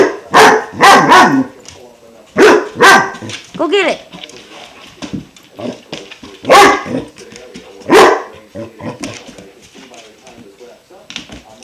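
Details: Klaus, a five-month-old German Shepherd, keeps barking at his new water buffalo horn instead of chewing it: scattered loud barks in short runs, with quieter grumbling and a woman coaxing him throughout.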